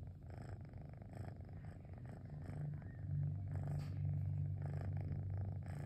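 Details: Relaxed pet cat Cosmos on a rainy afternoon, purring like a small motor; the low rumble grows louder and fuller halfway through, with faint rhythmic breath pulses.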